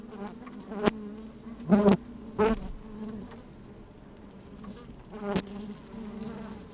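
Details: Bees busy at work in an opened honey bee hive on a sunny, slightly windy day, microphone inside the hive: a low continuous hum broken by several loud, short buzzing bursts and sharp knocks.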